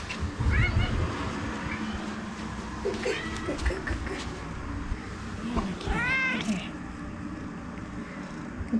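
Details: A vocal Maine Coon kept as a pet with several other cats: short faint meows amid thumping and rustling household noise, then one louder drawn-out meow near the end.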